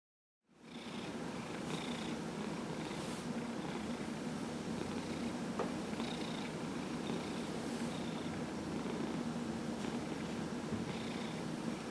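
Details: Dillard, a 15-year-old domestic cat recovering from small cell lymphoma, purring while being rubbed in a massage session on November 27, 2018; a steady low rumble swells in soft breathy pulses every second or two, indoors.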